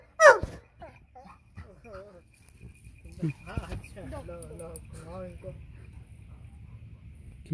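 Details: A family Labrador, jealous of its owner's attention to a German shepherd pup, gives one sharp yelp, then a string of thin, quavering whines. Human talking in Hindi mixes in throughout.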